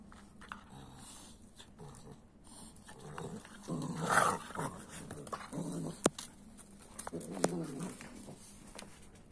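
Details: Puppies, a three-month-old Kuvasz and an eight-week-old Boerboel, reacting to each other. Low rumbling growls build around the middle and swell again near the end, broken by a sharp knock and a few clicks of play.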